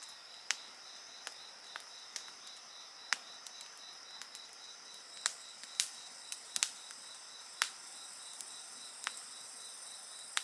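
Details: Insect chorus mixed with a crackling bonfire: continuous high-pitched trilling and a fast pulsed chirp run underneath frequent sharp pops and snaps from the burning wood.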